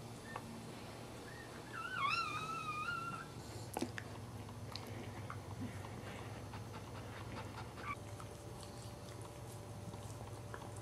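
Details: The third newborn puppy in a Cairn Terrier litter, just delivered, gives one thin, wavering squeal, then near silence with a low hum.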